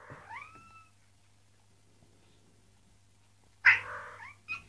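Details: Tomcat calling a female cat: a drawn-out, clear meow rising then levelling off, a long silence, then a louder, harsher meow falling away, followed by a brief short call at the end.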